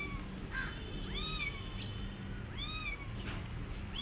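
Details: Hungry rescue kittens alone without their mother cat, which has not fed them, calling with clear rising-then-falling meows, three or four spaced cries over steady low background hum.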